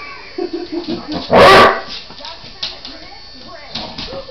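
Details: A female Basset Hound, who hated having her nails done with a Pedi Paws trimmer, gives a run of short, whining yelps, then one loud, harsh outburst in protest.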